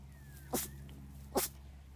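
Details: Ember, a dachshund puppy, sneezing while playing outside: two short, sharp bursts roughly a second apart, each a sudden explosive puff, over a faint steady low hum.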